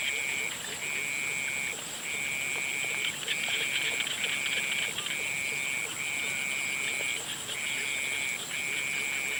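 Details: Frogs at sunset repeat a high, even trill in regular one-second bursts separated by short pauses, over an unbroken shrill drone.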